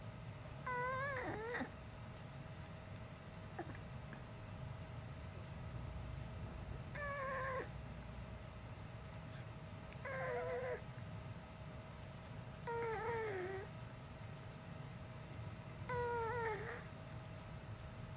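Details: Uni, a dog that since puppyhood has never barked a plain woof but makes human-like sounds, gives five short tonal, wavering cries spaced about three seconds apart, each bending up and down in pitch, over a steady low indoor hum.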